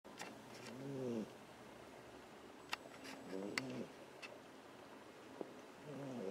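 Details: Sleeping domestic cat snoring on a person's lap indoors while a second cat lies on top of it; low, harmonic, drawn-out breathy snores return about every two and a half seconds, with a few faint clicks between.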